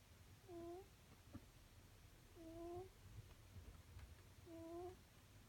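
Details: Nekota, a pet cat, snoring in contented sleep indoors: three squeaky, whistled breath tones evenly spaced about every two seconds, with a gentle low room hum beneath.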